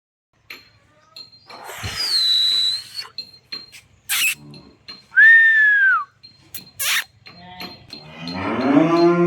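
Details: A cow at a dairy farm in Khulna, Bangladesh, offered for sale along with a bull calf; a long bellow, then a high arched call falling at its end, with clatter between and a deeper rising moo closing.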